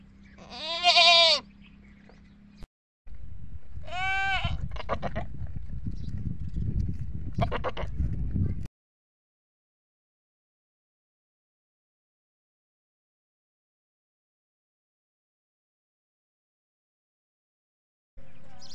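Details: Goats, both bucks and does, at a goat farm bleat loudly with wavering, nasal calls over a steady background rumble; the bleating comes when wanting food or calling for kids.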